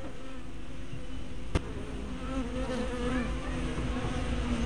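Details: Honey bees humming at their hive entrance, 24 May 2012, spy camera fitted with a fisheye lens; a smooth steady drone with rising and falling tones of individual bees flying close, plus one sharp click early on.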